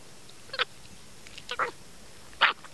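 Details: Three brief, buzzy squawks from a little male monkey munching corn at a fence. The last is loudest and harshest, and faint low background noise runs throughout.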